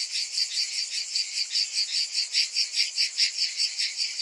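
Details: A summer cicada chorus: a bright, sizzling buzz beating in very even waves, about two and a half per second, steady from start to finish.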